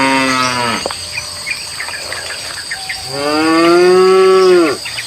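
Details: Feral cattle at a prairie forest edge: two long, throaty cow moos, the second drawn out and swelling before it drops, over a steady high insect drone and a few scattered bird chirps.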